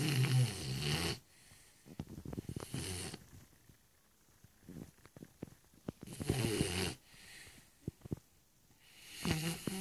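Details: Shar Pei named Stefani asleep and snoring heavily: long, harsh, rattling snores return about every three seconds, separated by softer snuffles and little clicking breaths.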